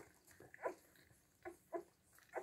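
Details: Siberian Husky puppies seven days old, just woken, giving short high squeals and whimpers at irregular intervals, four or five brief cries in a quiet room.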